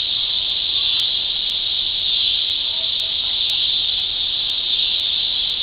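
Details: Cicada calling in a steady, unbroken high buzz that holds at one pitch throughout, with faint regular ticking clicks above it and no other sounds.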